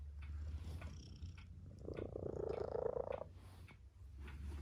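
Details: Purring tabby cat resting with its family, one rough, throbbing bout of about a second and a half in the middle, with a low steady hum and faint clicks around it.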